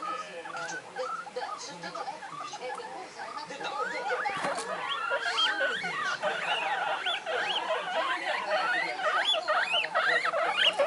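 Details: Two one-month-old pet guinea pigs voice their feelings in high, excited squeals: quick upward-arching whistles that grow louder and crowd together in the second half, about two per second, over faint television sound.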